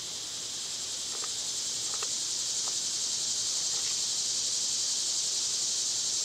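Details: A summer cicada chorus gives a dense, high, sizzling buzz that swells a little at first and then stays constant. Several brief, faint ticks, possibly birds or rustling, sound near the middle.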